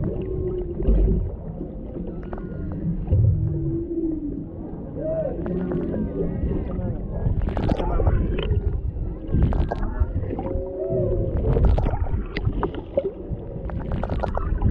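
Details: Underwater recording off Maui, Hawaii, of a mother and calf humpback whale interacting near a boat, with a male nearby, captured on a GoPro Hero 7 Black. Scattered mid-pitched wavering moans and whoops sit over a constant low rumble and clicks.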